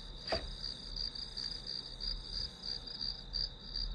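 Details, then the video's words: High insect chirps in grass pulse roughly three times per second over a continuous trilling tone; a single soft knock sounds near the start, with low background hum throughout. "풀벌레 소리"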